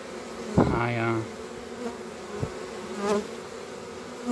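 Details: Honey bee beating its wings strongly at a hive entrance in February, asking to be let inside; a close, continuous low buzzing drone with a brief burst of human voice near the start and a few knocks.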